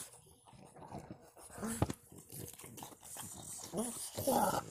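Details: French Bulldog (Canis lupus familiaris), whining grumbles: frustration because a female dog is in heat.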